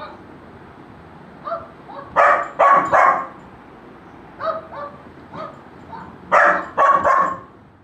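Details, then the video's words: Golden Retriever puppy answering barking: soft yips building to loud ringing barks in groups of three, a quieter pair mid-way, then another strong triple of barks before fading out. "Golden retriever puppy reaction on sound of barking"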